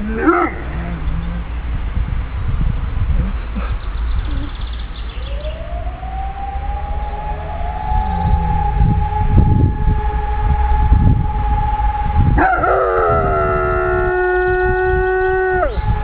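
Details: Aiso, a dog, howling along with a siren while practising for the fire brigade: a long steady tone rises and holds, then a layered wavering howl with stacked harmonics joins near the end over loud siren wail and background rumble.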